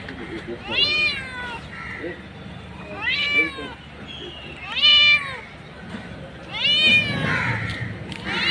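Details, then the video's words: Mother street cat meowing for her kittens: loud, drawn-out harmonic meows that rise then fall, repeated roughly every two seconds, with quieter murmurs and urban background noise in the gaps. "Mother Cat Calling For Her Kittens | Mom Cat Calling Her Kittens | Mother Cat Meowing For Kittens"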